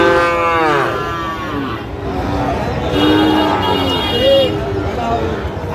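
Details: Sahiwal cattle at a busy cattle market in Madaripur, Bangladesh, on 25/8/25, where a Sahiwal bull is bought; a drawn-out, falling moo opens, followed by further lowing moos, with people bargaining in the background.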